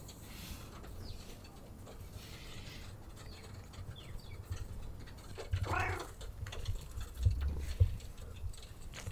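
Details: Cat seeking petting and attention gives a continuous low purr; a single drawn-out meow rises midway, with light pattering and handling noises around it.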